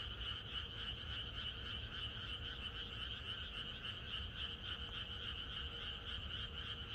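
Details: Countryside frog chorus on the eve of rain: countless croaking frogs pulse rapidly and unevenly, a constant trilling mass of calls with a faint low hum beneath.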